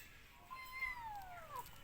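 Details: Kitten crying while looking for its mother: a single drawn-out plaintive meow, rising then sliding down in pitch, over background music.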